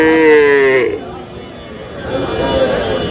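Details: Sahiwal calves, young bulls and heifers, at a busy cattle market near Dhaka, Bangladesh, on 10 June: one brief, tonal, falling call lasting under a second, then crowd chatter and men bargaining loudly over prices.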